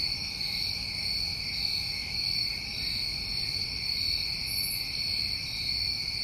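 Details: Night chorus of summer crickets in New England, a continuous shrill ringing held at even loudness in stacked high bands, one short higher chirp near the end, soft low rumble beneath.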